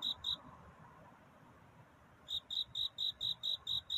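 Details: Cricket chirping at night in courtship: two high chirps, a pause of nearly two seconds, then a steady run of evenly spaced loud chirps, over faint background hiss.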